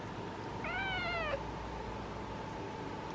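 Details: Orange female cat basking in the sun at golden hour, uttering one clear, slightly falling talking meow under a second long, then quiet room with a faint steady hum.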